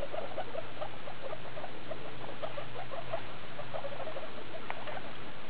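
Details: Skinny guinea pig Daisy with her babies from litter E2, born 2 August 2012, recorded 19 August 2012 at CHS Luna; soft, short squeaky notes repeat rapidly in irregular bursts over a steady low hum.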